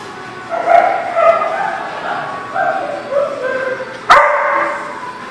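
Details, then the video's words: Dog recorded 15 March 2019, giving a run of short, high-pitched yappy barks and yips in quick succession, with one sharp loud bark near the end. "The Barking Lot"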